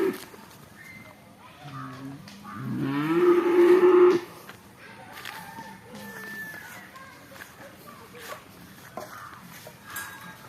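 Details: Young bull calves, including a spotted one, on a farm: one loud, drawn-out moo of about two and a half seconds, rising then holding steady, with people talking and brief music in the background.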